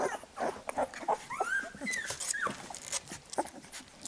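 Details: Labrador Retriever puppies being licked clean by their mother after a feed give quiet, thin whines that slide upward and downward. Moist licking and smacking clicks run throughout.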